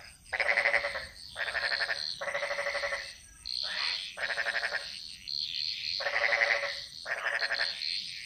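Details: Bali jungle frogs singing in chorus, giving loud buzzy, ratcheting croaks about one per second, each burst roughly half a second long, over a thin continuous high insect hum.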